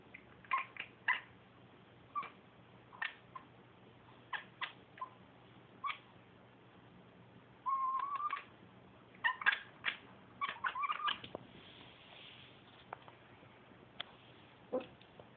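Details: A female cat watching through a window chatters steadily: rapid dry clicks in bursts, broken by two brief trilling chirps midway, then sparser ticks toward the end over faint household hum.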